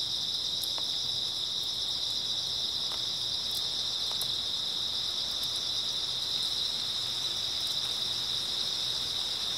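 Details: Early autumn night chorus of grass insects: a constant, bright, high chirring drone with scattered faint ticks and no pauses.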